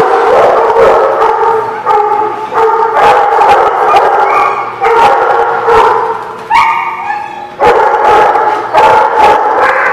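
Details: Barking chorus of several dogs at The Barking Lot, recorded 5/19/17; loud, sharp barks pile on one another almost without pause, with occasional higher-pitched yips breaking through.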